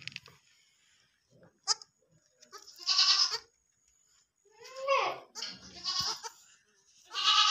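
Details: Young goat kid at feeding time making bleats: a bright, nasal cry near three seconds, a wavering bleat around five seconds and another at the end. Human speech and handling noises come between the calls.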